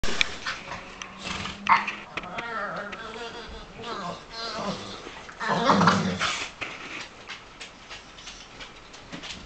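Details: Staffordshire Bull Terrier lying on a bone another dog wants, making odd drawn-out groaning, whining noises with wavering tones, interrupted by bursts of noise and a person's voice.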